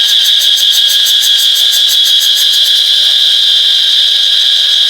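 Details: A cicada, recorded on an iPhone 8, gives a loud, continuous high-pitched buzz with a fast pulsing shimmer.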